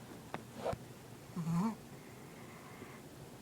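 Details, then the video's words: Pet dog asleep and daydreaming indoors: soft snuffling breaths, a brief low groaning whimper that rises then falls, and faint clicks in a quiet small room. "Dog Snoring, Daydreaming & Farts to Wake Up."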